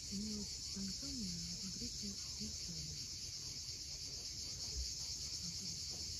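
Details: Sunset on Cape Fiolent's steep Crimean shore: cicadas sustain a bright, even buzzing drone, while a series of short low wavering tones comes and goes over the first three seconds above the rolling waves.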